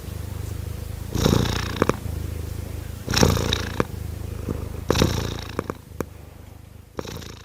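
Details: Kittens purring steadily, a deep even rumble with three rhythmic louder breathy swells near 1.2, 3.2 and 5 seconds, plus light clicking noises.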